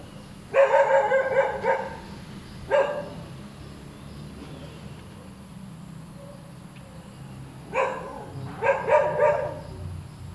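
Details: Restless dog barking over and over: a rapid string of harsh barks, a lone bark, a quiet gap, then a second cluster of choppy barks with a faint steady drone underneath.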